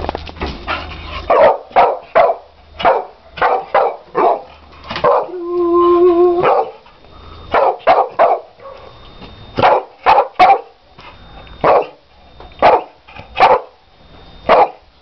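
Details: Excited Staffordshire Bull Terrier going crazy over balloons, letting out a steady run of short sharp barks about twice a second, broken midway by a longer drawn-out whining howl before the rapid barking resumes.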